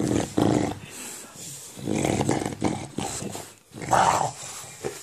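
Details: English bulldog growling while playing with a ball in a small room, a series of gruff, throaty bursts of uneven length with brief gaps between them.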